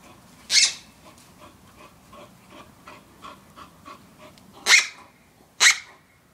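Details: Outdoors with her toy, Bull Terrier Valen (female) pants softly in repeated short breaths, broken by three loud, shrill squeaky bursts at the start and near the end.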